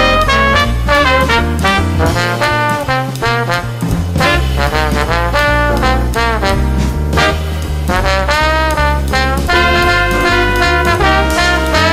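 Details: Loud swing jazz with trombones and trumpets playing bright brass lines over a steady bass beat throughout, no animal sound audible.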